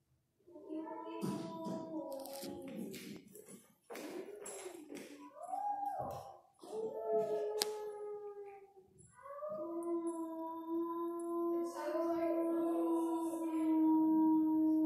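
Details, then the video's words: Several gray wolves (timberwolves) at the Minnesota Zoo howl together in long, wavering tones that rise, bend and overlap. "Wolves Howling Minnesota Zoo"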